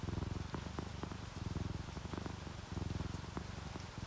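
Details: Sleeping domestic cats, an orange tabby and a calico, purring while relaxed; a steady low rumbling purr pulses in breath cycles roughly every half second, with soft rain faintly in the background.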